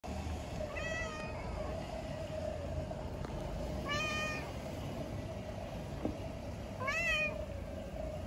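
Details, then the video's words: Sleepy cat sitting on a bench, meowing between bouts of licking itself: three clear, harmonic meows about three seconds apart, the last rising then falling, over a steady low hum and faint distant traffic. "Sleepy Cat meows and licks itself"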